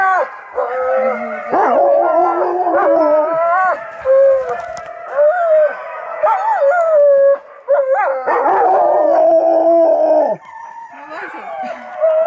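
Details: Happy Alaskan Malamutes out skiing with their owners howl in repeated bursts, several voices sliding and warbling over each other, with brief gaps between rounds and a softer tail at the end.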